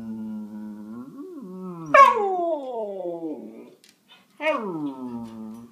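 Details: Siberian Husky 'talking': a drawn-out whining howl, rising and falling over about two seconds, then a sudden higher yelping cry that slides downward. After a brief pause comes a second cry falling into a wavering whine, heard in a quiet room.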